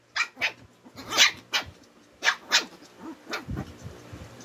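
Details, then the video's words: Two twin Shih Tzu dogs quarrelling: a run of sharp, high yapping barks, roughly two per second, followed by lower, softer growling grumbles near the end. "Kambal na shih tzu naghahamagan at nagkakapikunan na"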